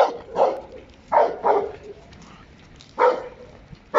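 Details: Hektor, a working Giant Schnauzer, in a bus training scenario at Voodoo K9 Academy, gives loud, harsh barks: a single bark, then a quick pair, a pause, and another bark near the end.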